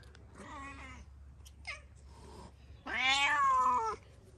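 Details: Street cat in Morocco being harassed by another cat gives a short falling meow, a brief squeak, then a louder drawn-out wailing meow about a second long; a woman speaks nearby.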